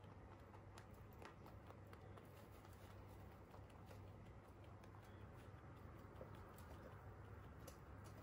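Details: Crunching of hay by pet Holland Lop rabbits: brisk snapping clicks repeat in loose rhythm, some louder bites standing out, set against a faint steady low drone indoors.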